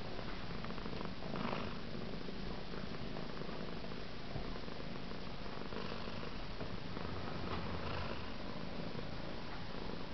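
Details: Cat being brushed by a kitten indoors, purring in an unbroken deep rumbling drone for about ten seconds, with light brushing and rustling noises.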